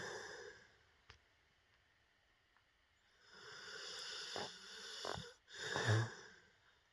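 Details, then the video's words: Dog asleep and dreaming, snoring in uneven bouts: quiet breathing at first, then swelling wheezy snores and sharp snorts, the loudest near the end, with constant room hiss behind. "Does anyone else's dog snore like this ?"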